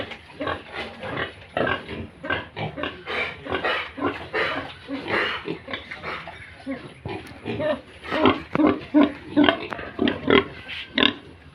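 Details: Farmed Yorkshire and Hampshire pigs with piglets in Bongaigaon, Assam, India, heard close: loud, rhythmic chorus of short grunts, quickening in the later seconds and mixed with brief nasal squeals.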